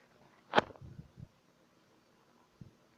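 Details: Three-month-old Shih Tzu puppy named Patchii snoring like a human while asleep indoors: one sharp snorting breath, then a few short, low rumbling snore bursts, a pause of quiet, and a faint final grunt.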